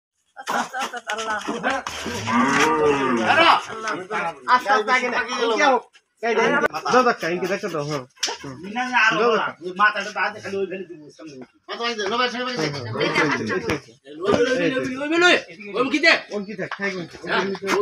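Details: Cow mooing during calving: a run of drawn-out, harmonic moos separated by brief pauses, roughly six calls over eighteen seconds, with some soft rustling and slapping between them.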